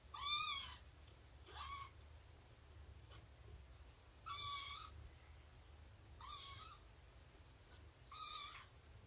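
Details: Domestic cat indoors during a nursing and play session with Shelby, an abandoned mother cat about two years old, and her kittens; five high, harmonic mews roughly every two seconds, rising then falling, over a low steady hum.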